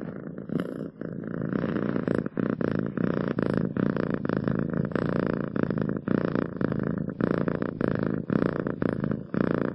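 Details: Loud, close purring from a cat, a buzzing rumble broken into rhythmic breath cycles, with short gaps between inhale and exhale, nothing else audible.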